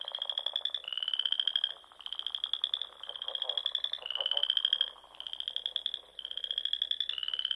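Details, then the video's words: Frogs singing in spring at dusk among the ponds and small lakes of Nebraska's Sandhills dunes; several callers give high, buzzy pulsed trills about a second long, overlapping and alternating almost without pause. "RELAXING SOUNDS OF FROGS"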